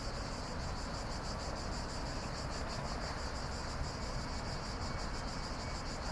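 A steady night chorus of cicadas, a dense hiss with faint rapid pulsing, over a low rumble.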